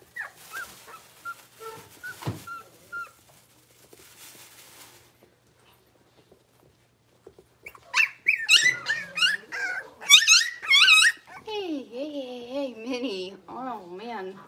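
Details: Six-week-old blenheim Cavalier King Charles Spaniel puppies from a litter of five born to Paris and Spike at New Year, in an indoor puppy pen: thin wavering whines at first, then a burst of high, rising and falling yips and squeals, overlapping and urgent.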